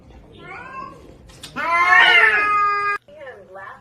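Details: A domestic cat gives a drawn-out, loud meow with rich harmonics, rising then holding steady for about one and a half seconds, preceded by softer faint mewing and followed by a short sliding call, with music and speech around.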